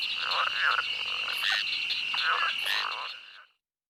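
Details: Frogs in a night swamp call with quick, hoarse, duck-like quacking notes over a steady high insect-like drone.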